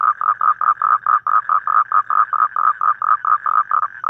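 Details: Outdoors in the evening, a toad repeats thick, buzzing pulsed notes about four times a second, steady in pitch, with one slightly longer gap midway.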